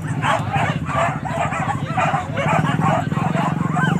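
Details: Hunting dogs on a wild boar hunt at Kayu Ampek, Tanjung Emas district, Tanah Datar regency, bark in a rapid, overlapping chorus of short yelps, about three per second, over a steady low droning hum.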